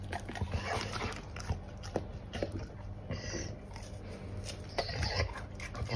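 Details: A Golden Retriever munches pears indoors, with dense, moist chomping and smacking in irregular bursts over a constant low hum.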